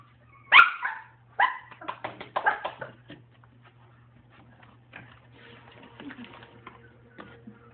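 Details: Dog giving a loud sharp bark, then a quick run of shorter, higher yipping barks, before trailing off into softer whimpering sounds with a low steady hum in the background.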